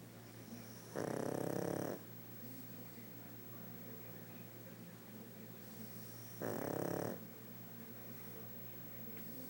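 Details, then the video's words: Sleeping pug snoring indoors: two long, rough, rasping snores about five seconds apart, each lasting under a second, with quiet breathing between them. "Pug roncando"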